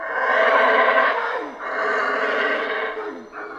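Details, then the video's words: Howler monkeys in Central American rainforest give deep, rough roaring howls, two long swelling bouts of about a second and a half each, rich and harsh, the second trailing off into a lower growl. "Rainforest Howler Monkeys Sounds"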